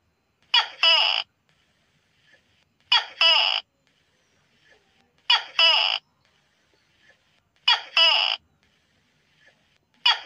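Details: Tokay gecko calling at night: five loud two-part calls, each a sharp rasping first note followed by a longer second note, repeating about every two and a half seconds over an otherwise quiet background.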